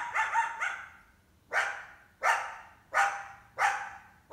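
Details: A coyote mother, accompanied by at least one large pup, barks in summer while hunting a house cat kept indoors; three rapid clipped barks, then five loud barks roughly every 0.7 seconds with echoing decays.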